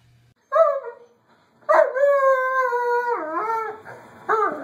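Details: Doberman giving a tonal, whining howl: a short falling note, then a long sustained wavering howl that slides lower in pitch, ending with a brief rising cry.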